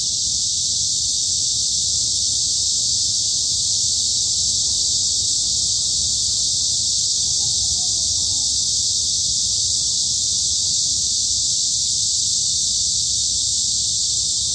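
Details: In a midsummer forest at Hanbat Arboretum, Daejeon, South Korea, cicadas keep up a steady high shrill wall of sound, constant in volume, with a faint brief lower sweeping note near the middle.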